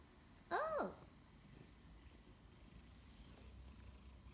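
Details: Pet cat during play indoors, answering with a single short arched meow that rises then drops, about half a second long, after a person's question, then quiet room tone.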